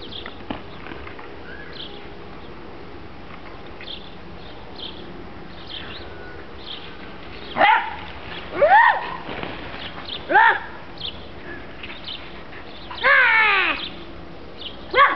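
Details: Two whippets, Sally and Lola, running around and playing: scattered short arched yelps over a steady hiss, then a longer, wavering whine near the end.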